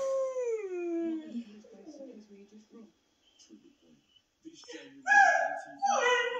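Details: A Harzer Fuchs crossbreed dog howls in long, falling, mournful notes, answering husky howling played on YouTube.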